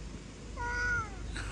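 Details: Single short, level cat meow lasting about half a second in a quiet indoor setting, ending with a sudden knock.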